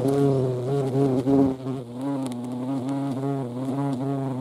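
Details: Hornets visiting a feeding place alongside ants, Dohr in the Eifel, 28 July 2022. A deep humming wingbeat drone, briefly louder and rougher at first, then settling into an even, gently wobbling tone.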